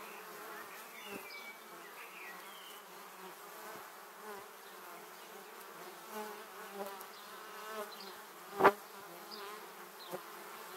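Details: Honey bees flying close past a 360-degree camera on their way to the beehive, recorded in 2017: a steady, dense drone of many wings with wavering buzzy tones and one loud swoosh as a bee passes very near.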